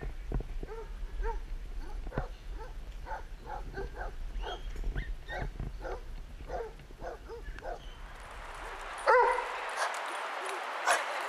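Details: Basset Hounds, eight of them on a group walk at Burghead Bay near Elgin, Scotland, on 7 September 2014; a quick run of repeated harmonic barks and bays for about eight seconds, then a loud rush of wind over the microphone.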